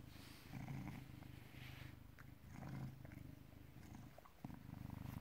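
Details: Purring British Shorthair cat, born 18 August 2010 and filmed 16 November 2017 at 16:33; a deep, throbbing rumble rising and falling in three breath cycles, briefly pausing before resuming strongly.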